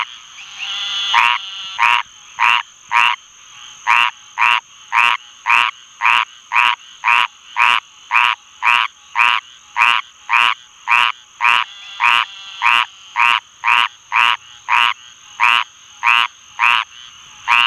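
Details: Squirrel treefrog (Hyla squirrella) singing: a harsh, raspy, nasal croak repeated about twice per second in a long steady series, with Eastern Narrowmouth Toads and Green Treefrogs calling in the background.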